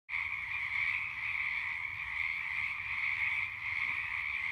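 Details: Night chorus of many frogs, a steady unbroken drone of high croaking with a bright band and a lower hum beneath, no gaps throughout, faint low rumble in the background.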